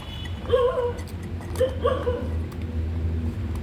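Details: Puppy raised on milk powder and growing very slowly gives two short, tonal whining calls, rising then falling, about a second apart, over a steady low hum and faint room noise.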